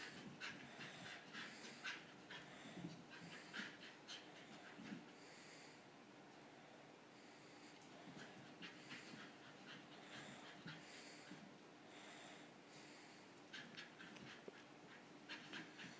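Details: English Bull Terrier panting quietly and steadily, rapid breathy puffs about twice a second with brief irregular pauses, soft broadband hiss throughout.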